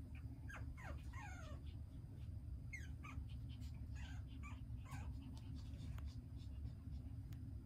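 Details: Whining tiny poodle puppy: short high squeaks, some rising and some falling, come in irregular bursts, more scattered toward the end, against a constant deep background hum.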